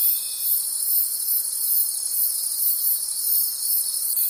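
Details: Night-time forest crickets form a continuous high, hissing trill that rises and falls in gentle waves about twice a second. A faint steady tone is heard briefly at the start and again at the end.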